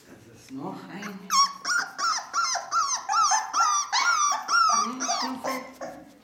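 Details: Four-week-old Ca de Bou puppies from the litter of Bea and Bubu give a run of about a dozen high, tonal whining yelps, each sliding down in pitch, roughly two per second, after a soft human voice and laughter.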